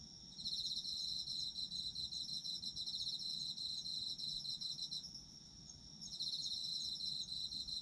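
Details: Autumn insect chorus meant for sleep: continuous high cricket trilling with fast pulsed chirps, one caller pausing briefly near the fifth second before resuming, over faint low background hum.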